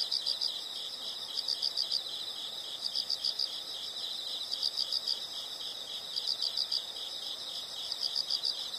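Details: Steady high insect buzzing carries repeated chirp bursts, each of four or five quick pulses, returning roughly every 1.5 seconds.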